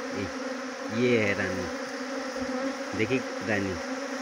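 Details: A swarm of honey bees during trapping in Jaunsar Bawar, Dehradun district, Uttarakhand, gives an even, continuous low hum with a fainter upper tone; human voices break in intermittently on top.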